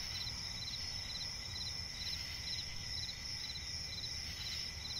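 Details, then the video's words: Swamp forest at night filled with cricket chirps, clusters of high pulses recurring quickly and evenly over a persistent piercing trill and deep background hum. "cricket chirping relaxing sound in night forest"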